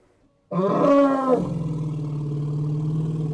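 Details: After a quiet start, an elephant blasts a loud, blaring trumpet for nearly a second, then settles into a deep, steady, throbbing rumble.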